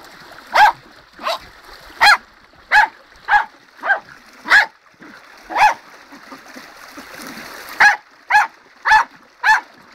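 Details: Dog by a river in full flow, barking in a steady series of sharp, mid-pitched barks roughly every half to one second, over a continuous hiss of rushing water.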